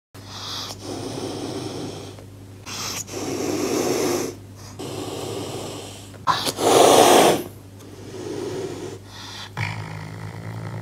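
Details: Caracal hissing: a series of breathy, rushing bursts lasting one to two seconds each, the loudest and harshest one near the middle, separated by short pauses, over a faint steady hum.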